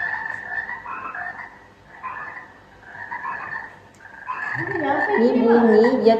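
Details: Frog croaking played back in a classroom listening game for children aged five and six: a steady series of rapid, buzzy pulsed croaks, roughly three per second, with louder voices and room noise rising over the final seconds.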